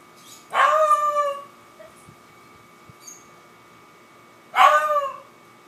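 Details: Beagle named Humphrey howling while chasing a squirrel: two drawn-out baying howls about four seconds apart, each opening with a sharp onset and sliding down into a sustained mid-pitched wail, quiet between them.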